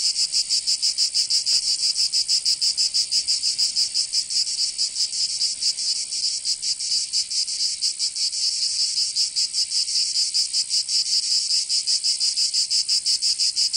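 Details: Southern French cicadas in Provence during summer, a loud overlapping high-pitched drone with fast pulsing beats, several insects blending so the rhythm blurs at times; nothing else audible.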